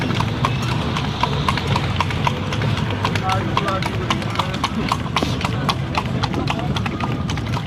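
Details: Cart horse at night giving an even, unbroken clip-clop, crisp knocking hoof strikes close to two each second above the low rumble of wheels, with faint voices in the background.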